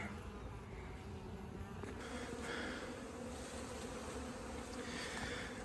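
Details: Honey bees from a 15-year-old hive being cut out of a house's siding; a dense, steady swarm hum fills the recording, with handling noise and a sudden shift in background partway through.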